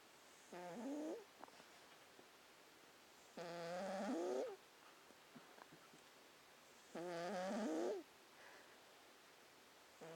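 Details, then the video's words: Sleeping cat snoring: squeaky, nasal, harmonic wheezes that slide upward in pitch, each lasting under a second, recurring roughly every three seconds with quiet pauses between breaths. "Snoring cats"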